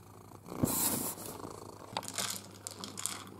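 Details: Pet cat Pepper purring while learning to use an interactive ball feeder indoors; a low, continuous rumble sits under sharp clatters and rattles of kibble and plastic.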